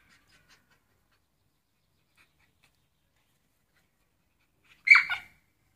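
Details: A Shiba Inu wanting a net gives one brief, high, breathy whine near the end of an otherwise quiet stretch.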